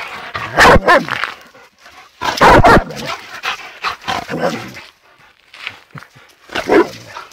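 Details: Two dogs, one of them a rottweiler, outdoors; loud broadband barks come in irregular bursts, a pair near the start and another pair around two seconds, then softer barks and a final bark near the end.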